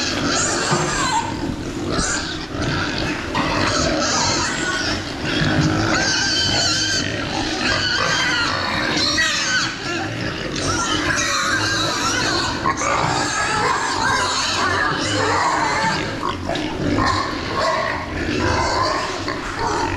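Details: A group of pigs raised for meat on a farm fills the air with a dense, continuous din of overlapping squeals and grunts, loud and steady throughout with barely a pause.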